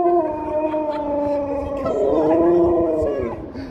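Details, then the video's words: Happy Husky greeting strangers, given biscuits: a sustained tonal howl lasting nearly four seconds, steady then wavering upward and down near the end, with layered harmonics and faint background noise. "Happy Husky talks to strangers"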